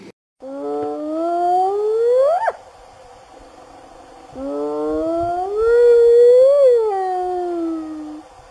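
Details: Spotted hyena in the wild in Africa calling the rest of the clan: two long whooping calls, each starting low and sweeping upward, the second swelling and then falling away, with a quiet pause between.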